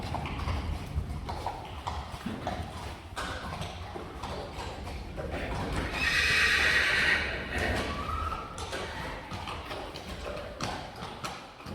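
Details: Friesian horses, the mares Eefje and Sjirkje, recently weaned from their fillies and put in front of a cart together for the first time. One shrill whinny of about a second rises midway over steady clip-clop of hooves and some talking.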